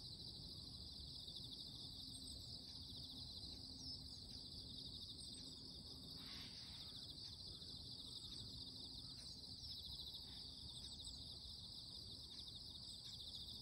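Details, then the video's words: Insects calling in the morning: a loud, unbroken high buzzing chorus with a fine pulsing texture and a thinner, higher hiss above it, steady throughout, over low rumbling background noise and faint scattered ticks. "Loud noise from the morning - the voices of insects"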